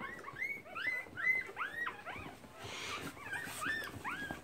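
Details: Keeshond dogs during nursing, recorded March 2017: many short, high, arched squeaks overlap rapidly, rising then falling in pitch, with brief gaps and a soft rustle partway through.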